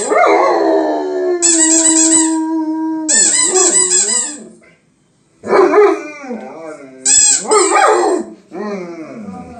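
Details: A German Shepherd "sings" in response to a squeaky toy, howling in long, wavering, tonal notes interrupted by the toy's shrill squeaks.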